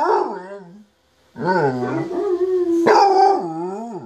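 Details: Domestic basset hound joining in with played recordings of basset hounds howling, giving drawn-out, rich harmonic howls that dip and rise in pitch, broken by a one-second gap.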